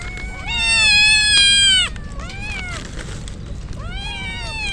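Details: Kittens drenched by rain before a typhoon cry out; a long steady high meow lasting over a second, then shorter arched meows, all over persistent rain noise.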